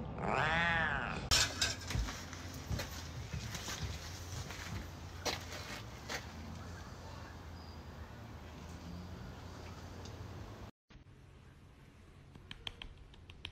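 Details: Angry cat giving a single strained, harmonic yowl that wavers and falls over about a second, followed by a long stretch of rustling, clattering background noise with scattered sharp knocks and no further calls.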